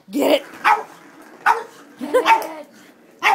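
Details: Moe the Boston Terrier, frantic while playing with a cat toy, barks repeatedly in short yappy bursts, some doubled, with faint low voices beneath.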